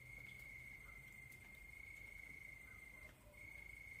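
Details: Crickets calling at night, a continuous shrill trill at a constant pitch that drops out briefly near the end, then resumes, with a soft low rumble beneath.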